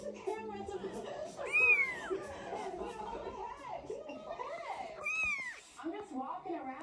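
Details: Scottish Fold kitten, three weeks old, one of a new litter of seven: two piercing, upward-bending mews stand out, each under a second, over steady human talking and quieter squeaks in the background.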